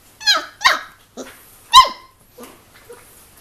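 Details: Three-week-old Giant Schnauzer puppies at play inside, tumbling and wrestling; a few rough high-pitched baby barks and yelps, three loud ones close together, then softer grunting sounds fading out.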